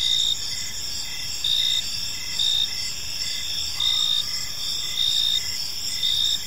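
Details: Evening crickets in a park giving a continuous high, shimmering trill punctuated by chirp pulses near once per second; a brief faint lower sweep appears midway amid soft background hum.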